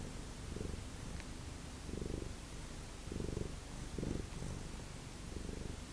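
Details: Domestic cat of the Lucky Ferals family purring indoors, the low rumble swelling and fading in regular bursts about once a second as the cat breathes in and out.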